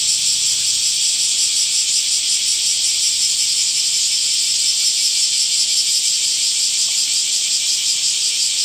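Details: Summer cicadas produce an unbroken, piercing electric buzz that holds steady in pitch and volume, lightly throbbing, with no other clear sounds.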